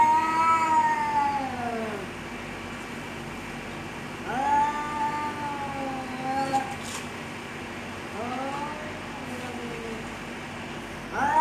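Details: Cats fighting and threatening each other: three long, wavering, moaning yowls that bend downward, separated by short pauses, over a steady low background hum.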